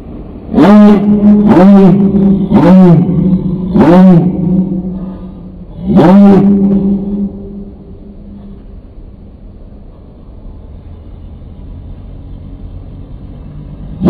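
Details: Dog tied to a fence on a street by its owner, barking while waiting for him to return from a store: five loud, deep, drawn-out barks about one per second, then a pause and a final bark, with traffic rumble behind.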